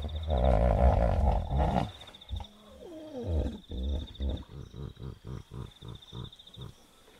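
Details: Wild hippopotamus at night by a river in the bush of Kafue National Park, Zambia: a deep, resonant harmonic bellow, then a fading run of rhythmic pulsed grunts, about four per second, over steady trilling insects.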